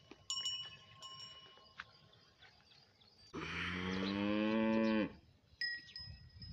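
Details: Bullock cart racing bull giving one loud, drawn-out moo of under two seconds, deep and slightly rising, with ringing bell chimes before and after and quiet background noise.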